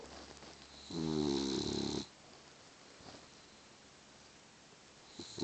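A Boston Terrier gives one loud, rasping snore lasting about a second, then quiet breathing.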